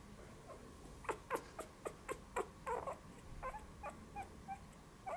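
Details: About three-week-old puppies, eyes just opened, indoors: a run of short squeaky whimpers and yelps, about ten quick cries in the first three seconds, then softer higher squeaks, over a low room hum.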